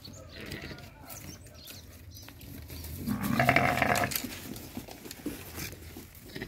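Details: Goat bleating on a farm where sheep are mating with goats: one loud, wavering, nasal bleat of about a second midway, with rustling and low farmyard noise around it.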